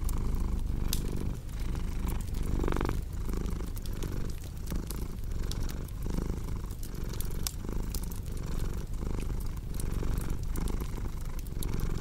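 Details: A purring cat rumbles low and steady, its breath-paced throb rising and falling evenly, layered over the scattered clicks and crackles of a burning fireplace for relaxation and sleep.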